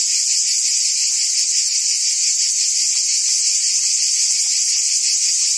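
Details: Cicadas buzzing in forest trees: a steady, dense, high-pitched drone with no breaks, faintly pulsing in texture, and no other clear sounds.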